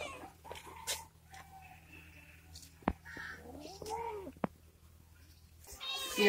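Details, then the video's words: Hungry domestic cats being given dry food by their owner after a long time apart; a few soft, arching meows scattered among clicks and knocks, a louder harsh call at the end, and brief human speech indoors. "Owner Feed Hungry Cats"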